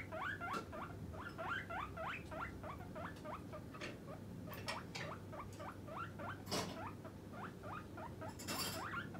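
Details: Hungry pet guinea pig asking for treats: a persistent series of short squealing calls, each sliding upward, roughly three or four a second, interrupted by rustling and clicking noises, over a steady low hum.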